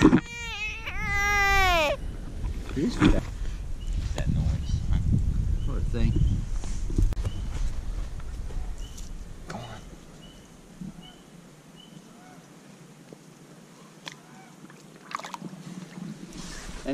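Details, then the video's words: American bullfrog caught by hand, the first screaming one after years of catch and release, later set free: two loud, high, wavering harmonic screams in the opening two seconds, followed by people talking and outdoor rustling. "Screaming bullfrog"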